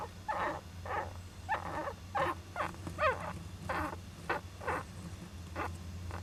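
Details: Owl nest box holding a young Japanese giant flying squirrel, July 2010: about a dozen rough, squeaky bursts in quick irregular succession, some with a wavering tone, over a low steady hum.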